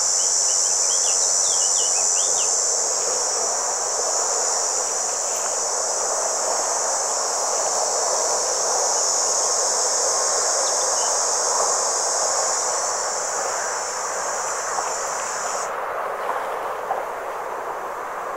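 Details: A red cicada (Tibicina haematodes) sings a steady, high, hissing buzz that cuts off abruptly near the end, recorded at a motorway rest area in Vienne, France, on 27 June 2023.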